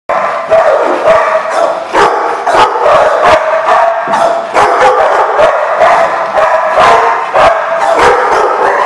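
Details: Dogs at a barking lot, recorded 30 January 2015; many dogs barking continuously over one another, a dense overlapping chorus of sharp barks and yips with no pauses.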